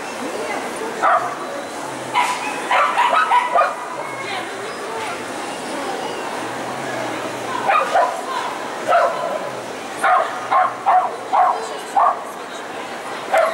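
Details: Poodle named Lyalya at qualifying competitions of the CACAG show "Zooshow in Gavan", ring A3, 29 March 2015; sharp barks come in loose bursts over a constant hall murmur of voices and crowd noise.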